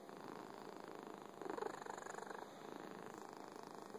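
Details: Fuzzy pet cat purring, a close, continuous low rumble with even pulsing, slightly louder in the middle, quiet room with nothing else heard.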